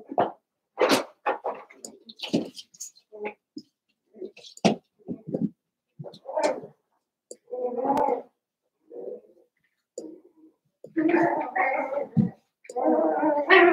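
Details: Seven-week-old Cavalier King Charles Spaniel puppies from Daisy's litter in an indoor puppy pen at home; scattered short squeaks and yelps, then longer wavering whining bursts toward the end, in a small room with household noise.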